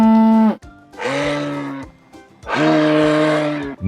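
A moose gives long, nasal, moaning calls, each about a second long, with brief pauses between.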